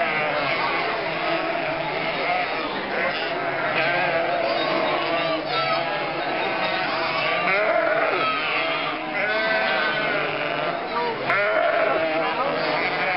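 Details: Nearly a thousand sheep, lambs and goats on their spring 2012 drive through Mörnsheim toward summer pasture in Altmühltal Nature Park; dense chorus of high and low quavering bleats, with human voices and a brief sharp click.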